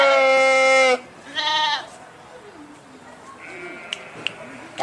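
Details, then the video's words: Sheep giving a loud one-second bleat, then a shorter quavering bleat, followed by faint softer calls and a few sharp clicks against quiet background. "صوت الخروف | the sound of the sheep"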